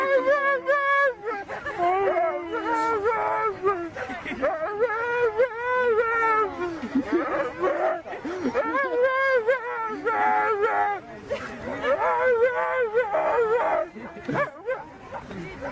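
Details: Siberian Husky 'talking' in long, drawn-out, moaning wails with rich harmonics, rising and falling in pitch, nearly continuous with brief pauses between phrases, voice-like and modulated throughout.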